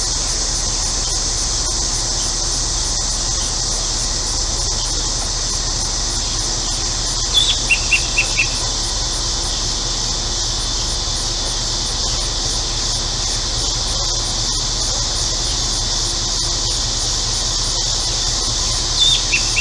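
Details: On a hot day in central Illinois, cicadas fill the air with a steady, high, hissing drone that never lets up, with a few birds and a neighbour's air conditioner in the background.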